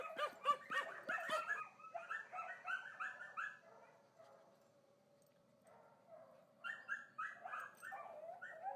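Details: Grover, a miniature smooth-haired dachshund up for adoption, gives quick bursts of high, whiny yips in rapid runs, falls quiet mid-clip, then starts up again while a person calls to him.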